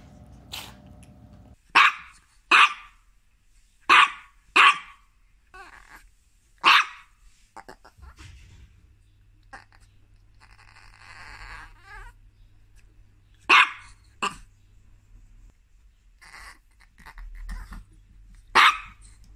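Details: Chihuahua barks from a compilation of angry, happy and crying Chihuahuas: loud piercing yaps in clusters, a quieter gap with a buzzing hum in the middle, then more sharp single barks.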